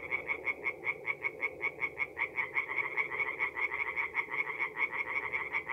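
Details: Singing tree frogs in a forest pond by night in April, North-East Italy: sharp, bright croaks repeated in fast even pulses, a chorus of several callers overlapping into a loud, steady rhythmic beat.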